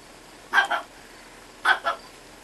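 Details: Lyovka, a two-month-old Chihuahua puppy, gives two quick double yips about a second apart, each a pair of short high-pitched barks, against a quiet steady background hiss.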